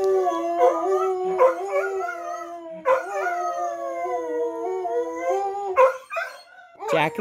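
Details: Dogs Jack and Bobby Joe join a fire truck siren indoors at night with long, steady, slightly falling howls, restarting every couple of seconds in overlapping voices, with brief yips and a voice at the end.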